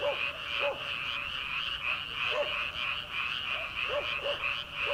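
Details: Early-summer rice paddy frogs at night, before transplanting season: thick continuous chorus of croaks, with separate lower croaks popping out roughly every second or two across the clip.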